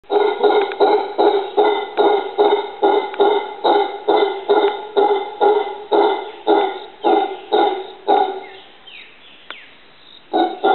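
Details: A howler monkey in a yard tree in Costa Rica calls with hoarse, deep, gruff barking grunts about twice a second, each short and throaty; the series runs steadily for eight seconds, then fades, with one last grunt.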